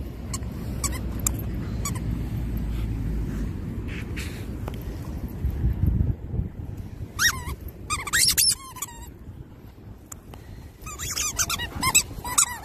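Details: Labradoodle, a pet dog, worked up while digging a hole; scraping, rustling digging noise fills the first half, then bursts of high squeaky whines and yelps with wavering pitch arrive in clusters near the end.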